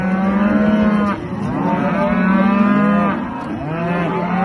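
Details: Aberdeen Angus cattle at a farm giving long, steady, droning moos, each held about a second, with fainter arching calls from other cattle behind them.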